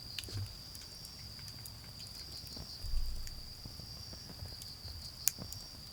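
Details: Autumn insects calling at night in a garden beside a bonfire: a steady, high, continuous trill runs throughout, over crackling pops from the fire, a soft low rumble and a few sharp snaps.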